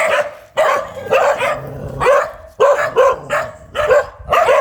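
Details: Fierce dog barking in a steady run of loud, harsh, clipped barks, roughly one every half second, each bark sharp and ringing, with short quiet gaps between.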